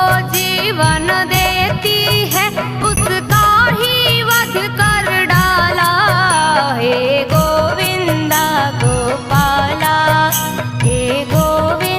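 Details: Loud Indian film-style music with a sung melody, percussion and instruments plays without pause, and no animal sounds are heard.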